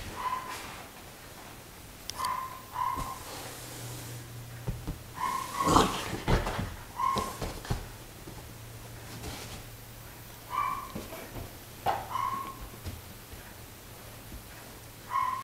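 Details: Playing Great Pyrenees puppy, male, 51 days old: mostly soft, flat whines and small yips repeated irregularly, with one louder burst midway and a low hum in the background.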